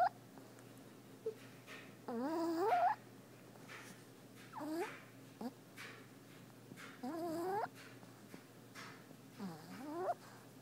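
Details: Brutus, a pet puppy, snoring while asleep indoors: squeaky, whistling nasal tones on each breath, often rising in pitch at the end, recurring about every two and a half seconds in a quiet room.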